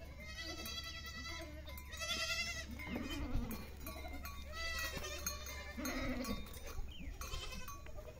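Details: Goats and kids at feeding time, Siri, April 2024: repeated wavering bleats from several animals, some high and thin, some lower, over a constant low hum and shuffling noise.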